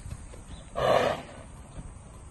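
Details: Arabian horse mare, said to have a stallion's character, gives one short harsh call lasting about half a second, noisy and broad with a tonal core, against a quiet rural background.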